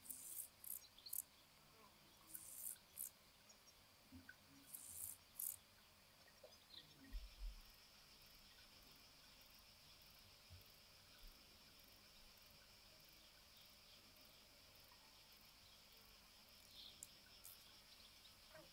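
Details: Chorthippus oschei, the Carpathian dancing grasshopper, in rivalry and courtship, Val Cajupi, Albania, 26 July 2023. Several brief high rasping bursts in the first seconds, then a steady faint high insect hum with scattered clicks and background rustle.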